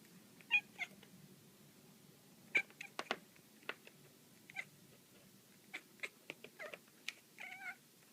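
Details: Black female house cat chattering while playing with a laser pointer indoors: short sharp chirps and clicks in irregular bursts, some brief trilled mews with stacked harmonics, one wavering chirrup near the end.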